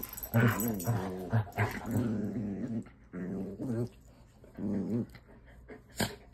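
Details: Chocolate Labrador Retriever growling while playing with a pet rat; low, rumbling voiced growls in several short bursts with brief pauses between them, ending with a sharp louder sound near the end.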